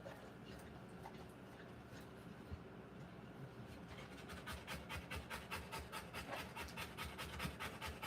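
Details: Rottweiler whelping puppies: a quiet, hissing background gives way midway to rhythmic, breathy panting, about two and a half breaths per second, that grows louder toward the end.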